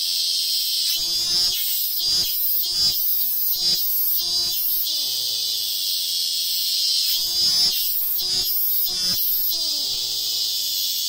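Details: A robust cicada (minminzemi) sings a loud, high, buzzing drone broken into pulsing beats, on a tree in hill country in Ehime, Japan.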